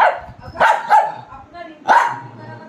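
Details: Pet dog at playtime with a young boy, giving four sharp, yappy barks in an uneven run: two close together, a third soon after, then a pause before a last bark, each with a bright, ringing tone.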